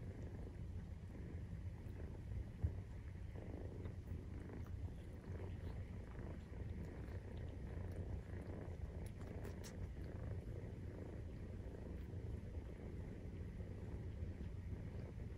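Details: Maine Coon cat family purring while nursing, kittens 43 days old; a steady low rumbling purr fills the whole stretch, with faint soft clicks and a brief tap near the start.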